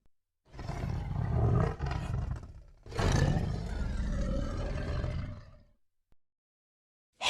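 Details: Tiger roaring: a deep, rasping roar of about two seconds, then a longer rumbling roar lasting over two seconds, followed by silence.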